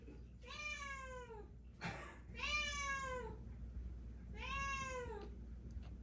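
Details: Deokbae, a pet cat, indoors, lying down and fussing to be petted: three drawn-out, falling meows spaced about two seconds apart, each rich and harmonic, with a brief rustle between the first two.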